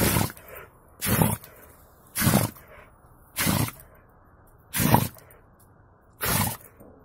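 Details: Buran, a yard-breed Siberian guard dog, sneezing after snow got in his nose: six sharp, broadband bursts about once a second, each a short explosive snort, with quiet outdoor background between.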